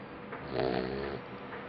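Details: Two-month-old Labrador Retriever puppy sleeping deeply, giving one soft snore that swells and fades over about a second, low and breathy with a faint tonal buzz in the middle.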